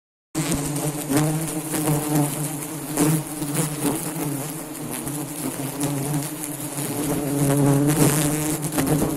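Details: Honey bees at a nest in Depok: a steady, dense, low droning hum, with a strong deep buzz layered under higher overtones. It swells slightly toward the end, with faint clicks and rustles throughout.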